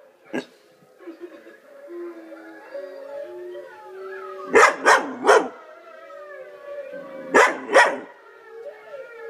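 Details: Dog named Luna howling in response to wolf howls; long wavering howls overlap recorded wolf howling, broken by a few short sharp barks in a quick cluster.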